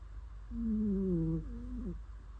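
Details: Sleeping cat snoring: a low, tonal, humming snore about a second long that slides gently downward, then a shorter, softer wavering snore, with a quiet steady background hum.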